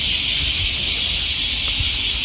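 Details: Many cicadas sing together on a hot, humid July morning (21 July 2024) among old street trees in Tokyo, Japan, a dense, continuous high-pitched buzzing drone with a gentle pulsing shimmer.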